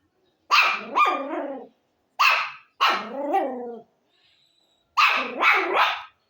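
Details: Dog barking in loud, rough bursts: two-part barks, a pair at first, then a lone bark, a longer wavering one, and a final double bark, separated by silent gaps.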